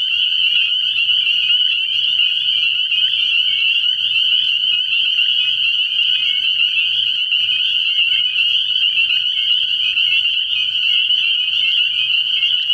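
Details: A continuous high-pitched chorus of spring peepers fills a frog pond at night early in the year, countless overlapping peeps blending into one constant ringing drone.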